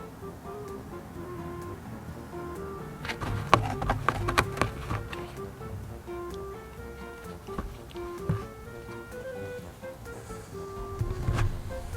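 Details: Light background music with a simple melody, a few knocks and clatter indoors, and no clear animal voice.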